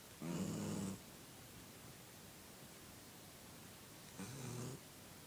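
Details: A sleeping puppy snoring: two broad, raspy snore breaths, each under a second long, about three seconds apart, in an otherwise quiet room.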